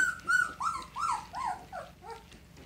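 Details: A two-week-old red Standard Poodle pup gives a series of drawn-out whines, each arching up then sliding down, falling lower and fainter over about two and a half seconds, indoors with a faint low hum.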